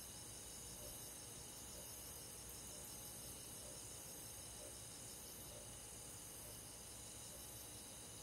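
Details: Countryside summer night with crickets and forest insects: rapid beating trills layered high up, plus a lower chirp recurring about every second, all steady and quiet against a faint low rumble.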